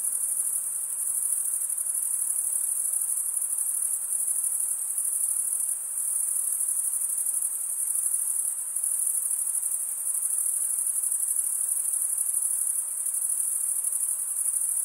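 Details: Continuous high cricket trill from stridulating males, a dense unbroken shimmer lasting throughout, with faint background hiss and slight rhythmic pulsing in loudness.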